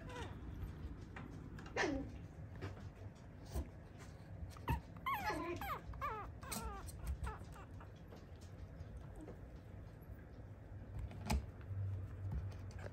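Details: A tiny teacup Toy Poodle puppy, a male, whimpers indoors: a drawn-out falling whine, then a cluster of short wavering, high-pitched whimpers in the middle, followed by scattered soft clicks and a faint low room hum.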